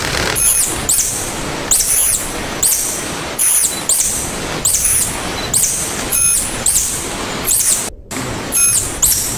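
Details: A tarsier (Tarsius sp., local name tangkasi) calling: thin, very high squeals with a slight downward bend recur about every second, each wrapped in a rush of broadband hiss, and a short silent gap near the end.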